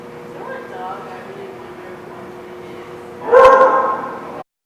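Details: A dog at The Barking Lot, recorded 9/19/16, gives one short, loud, harmonic bark near the end, after several seconds of a steady low indoor hum with faint murmuring.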